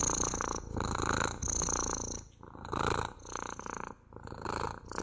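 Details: Pet cat purring close up, a continuous rumbling vibration rising and falling in breath-length swells, each wave roughly a second long, with short dips between.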